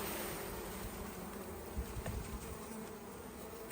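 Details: Honey bees in an opened hive: a steady, dense low buzzing drone with a droning band throughout and slight rough fluctuations, no clear separate calls.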